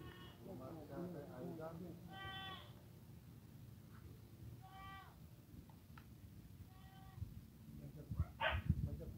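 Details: While offered dried seaweed, a Saanen goat gives three short tonal bleats spaced about two seconds apart, with human speech early on, low background rumble and clattering knocks near the end.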